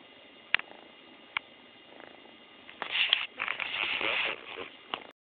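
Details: A happy female kitten purring very loudly, close to the microphone. The purr comes as a rough, buzzing rumble in the second half, with a few sharp clicks and faint handling noise before it.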